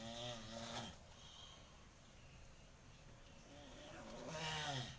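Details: Morning calls from a male tortoise: two faint, nasal, harmonic groans, one at the start and one near the end, separated by a quiet gap with low background noise.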